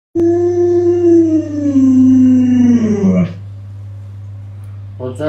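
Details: Alaskan Malamute named Luoluo howling at its owner who is still in bed after sunrise; a long drawn-out howl that slides slowly downward over three seconds, with a steady low hum underneath and a brief voice at the end.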